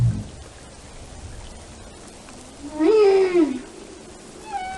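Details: Whale song: a single arched, moaning tonal call of about half a second, rising then falling, with stacked harmonics, followed by a faint high steady tone near the end over a soft background hiss.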